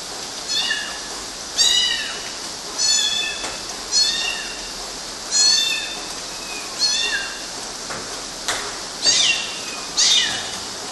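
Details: Climbing kittens on mosquito nets in Galati, Romania, in June 2012: a run of about nine high, thin meows, each briefly rising then falling, repeated roughly every second against faint background hiss.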